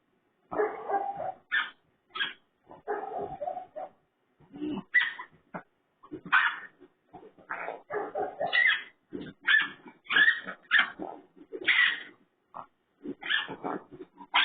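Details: A raccoon gives harsh, squealing and grunting calls in irregular bursts, somewhat pig-like.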